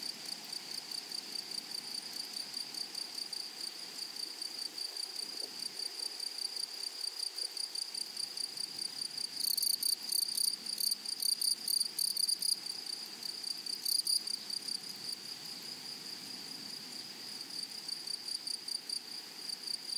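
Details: Grasshoppers in a flowery meadow: a steady high, ringing insect drone runs throughout, broken by loud rasping, rapidly pulsed bursts from about ten to twelve seconds and again briefly near fourteen seconds.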